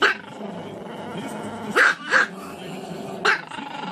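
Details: A dog gives three short, sharp barks, two close together and a third a second later, over a constant humming musical background.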